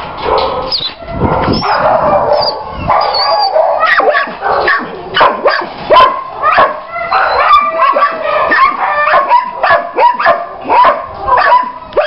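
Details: German Shepherd dog with an excited stretch of sharp barks and shrill yelps, faster and more regular in the second half, with whimpering notes between bursts.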